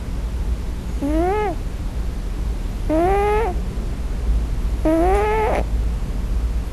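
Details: A male Scottish Fold kitten, asleep on his first night in a new home, gives three thin, rising meows about two seconds apart, crying for his mother in a dream.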